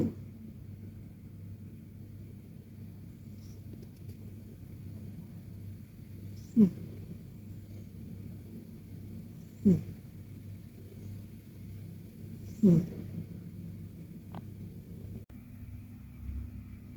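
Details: KTO, a pet Persian cat, deep in a cozy nap and snoring softly: three short snorting puffs arrive about three seconds apart over a steady low indoor hum, with quiet stretches between them.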